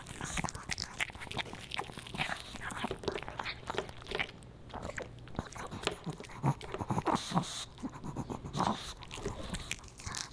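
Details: Boba Bear, a Pomeranian puppy, snacking indoors on dog-friendly fish and chips: dense, irregular crunches and bites in quick bursts, wet chewing between them, a small room's closeness around the sound.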